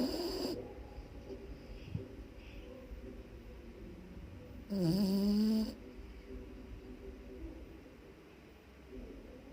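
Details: A pet dog named Kapu snoring loudly while asleep: low, rough rumbling breaths fill most of the recording, interrupted around the middle by a brief, louder tonal burst with wavering overtones.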